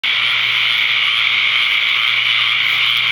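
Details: Countless tree frogs calling at a pond in Ocala, Florida, on the evening of May 6, 2010, gathered to mate after the season's first torrential rainstorm; a deafening, unbroken wall of dense, high buzzing trills with no gaps, with a faint low hum beneath.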